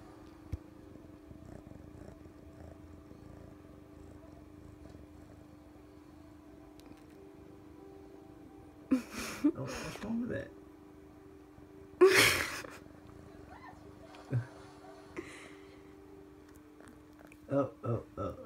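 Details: Contented Siamese kitten with his tongue poking out, purring steadily as a soft continuous low rumble, interrupted midway by a woman speaking to him and some handling noises.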